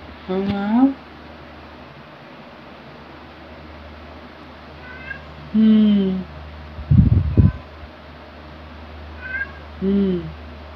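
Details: Two pet cats, black Luna and tabby Angel, filmed between 2018 and 2021, give several short rising meows spaced a few seconds apart, with a brief clattering noise between them and a constant low hum underneath.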